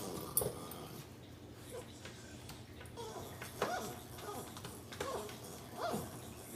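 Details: Shiba Inu eating a rawhide makes soft, short, funny grumbling "yummy" mouth noises while chewing in a quiet room.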